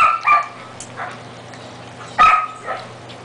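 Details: Siberian Husky puppies four weeks old, eating, filmed on 10 May 2009; a few thin whining yelps with a held tone, spaced apart by quieter stretches of soft rustling and a faint low hum.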